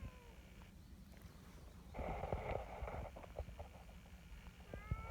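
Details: Big black outdoor community cat calls with evident pleasure when approached. Brief meows open and close the clip, with a noisy scuffle and low rumbling between them.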